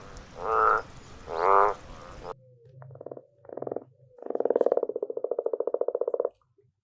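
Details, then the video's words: Frogs calling in the wild: two rasping croaks, then short buzzy notes and a long, fast pulsed trill lasting about two seconds, with a faint low hum underneath. "Hear the sound of frogs in the wild habitat."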